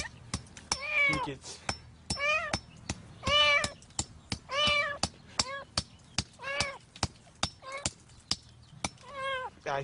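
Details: Cat trapped in cement concrete, meowing in loud, wavering cries roughly every second, each a harmonic wail that rises and falls, mixed with sharp metallic taps of hammering as rescuers chip away at the concrete.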